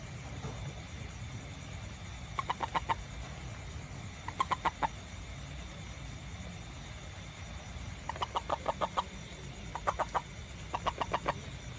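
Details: Small toad after rain near a home and garden, searching for ants; short bursts of rapid clicking pulses, about four to six per burst, come in bouts every one to two seconds over a steady low rumble.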